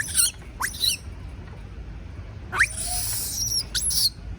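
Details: Baby monkey screaming out of fear of being left alone: short, shrill, very high squeals in quick bursts, some sweeping upward, with pauses of silence between groups of cries.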